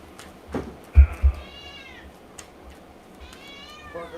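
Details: Domestic cat yelling at a person: two faint, drawn-out meows, each sliding downward, separated by a few soft knocks and clicks, with a constant low hum underneath.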